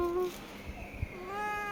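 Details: Domestic cat meowing twice: a short clear tone at the start, then a quieter gap with soft knocks, then a longer steady meow to the end.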